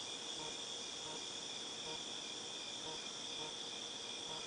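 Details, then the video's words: Cicadas recorded in August 2018, a continuous high, shrill buzzing drone that holds steady without pause for the whole stretch, with faint, softly pulsing lower tones beneath and no other clear sounds. "Cicadas Tinnitus Sound"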